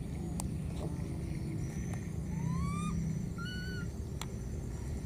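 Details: Lost wild baby monkey calling for its mother: a few clear, rising whistled cries, each upswept and ringing with harmonics, spaced about a second apart over a constant low rumble and faint background hiss.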